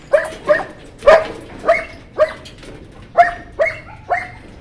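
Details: White German Shepherd puppies letting out a rapid string of yapping barks, each short and bright with a slight upward lilt, about two per second.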